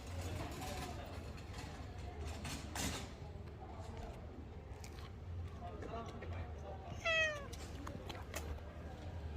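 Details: Korean shorthair street cat named Rolls on the Gyeongchun Line Forest Trail in Gongneung-dong on an autumn day gives one loud, rising-falling meow near the end, after stretches of people talking and a low steady background hum.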